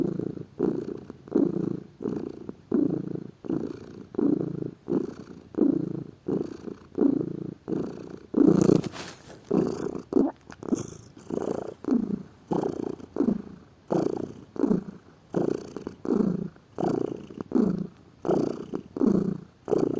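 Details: A lazy pet cat purring steadily, a low rumbling buzz that swells and fades with each breath, roughly two pulses every three seconds, one louder rustle midway.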